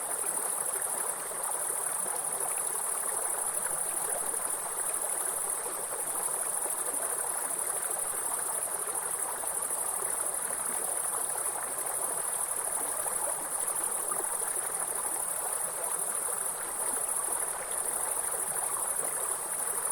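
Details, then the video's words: Grasshoppers in a forest near a waterfall keep up an endless high-pitched ringing drone, flat and uninterrupted, beneath and alongside a heavy, constant wash of rushing stream water. "Real forest and grasshopper sound with soothing waterfall sound"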